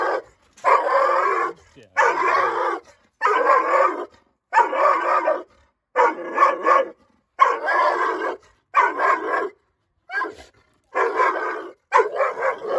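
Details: Young female Dogo Argentino, nine months old, showing aggression toward strangers with loud rough barks, bursts coming roughly every second, some doubled, with a brief low human voice early on.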